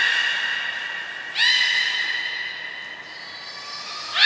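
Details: Beluga whales Gray and Mirai during a training session at Port of Nagoya Public Aquarium, 15 June 2022: a sustained high whistle with stacked harmonics, breaking into a new rising tone midway and again at the end.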